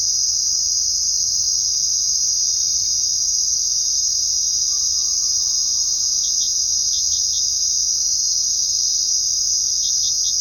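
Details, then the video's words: Crickets chirping at night: a dense, unbroken high-pitched trill chorus holds steady throughout, with a few short, sharper chirps standing out near the end; no other animals or voices are heard. "Crickets Chirping at Night"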